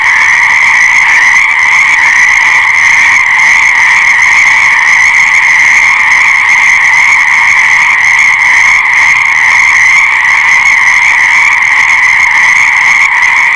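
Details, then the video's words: Steady, loud frog calling, a thick pulsing trill of overlapping voices that continues without a break, bright and high, with no birds, wind or people heard. "Fascinating Frog Sounds"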